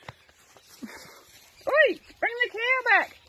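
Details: Playful Dachshund named Poppy, outdoors on a farm among cattle, gives a run of short, high, arching yips, one then a quick double, after a man's calling voice and soft rustling.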